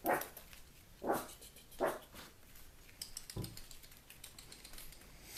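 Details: A puppy giving three short, yappy barks roughly a second apart, then a dull thump and quieter rustling and clicking sounds.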